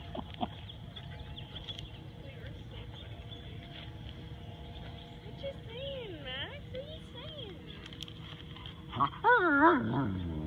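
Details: Max the Husky/wolf mix vocalizing as he plays with silent Rottweiler Tor; after a quiet, noisy start come soft wavering whines midway, then a louder cluster of bending, rising-falling yowls near the end.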